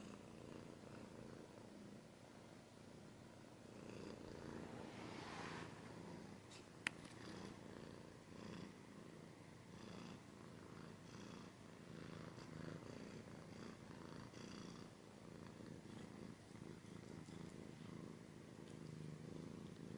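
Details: Purring cat recorded close in an ASMR style: continuous low throbbing rumble, softer rustling and scratching on top, and one sharp click partway through.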